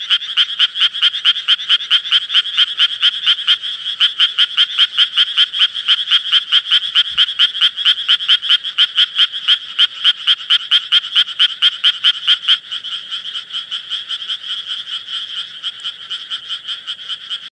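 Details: Japanese tree frog (Dryophytes japonicus), call.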